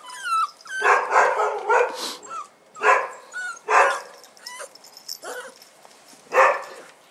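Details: Bull Terrier puppies out for the first time, 18 January 2015, give rough, noisy yapping barks at irregular intervals, with thin squeaky whimpers in the gaps between them.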